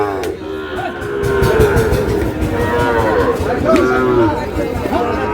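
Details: Sahiwal breed bull calves at a cattle market, bought by a Noakhali farmer, dated 27/7/26. Repeated short, arching moos come every second or so over crowd murmur and voices calling out prices.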